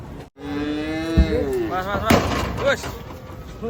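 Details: A cow coming down off a truck gives one long, level, low moo for over a second, followed by people talking and a sharp knock.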